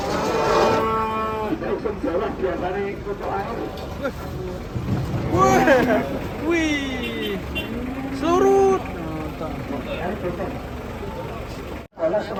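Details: Cattle mooing repeatedly, several rich, rising-and-falling lows spaced a few seconds apart, over steady background noise with people talking and some music.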